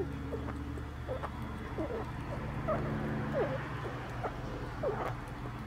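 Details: Small rat eating a hard-boiled quail egg, recorded 4 July 2022: short, faint squeaky bips, some sweeping upward, scattered every half second to a second over a steady low hum.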